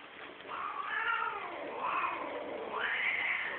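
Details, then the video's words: Domestic cats mating as a group at Geraki, Crete; a drawn-out wavering caterwaul rises and falls in long howling arcs, swelling to a higher wail near the end, over a steady hiss of background noise. "cats partouza"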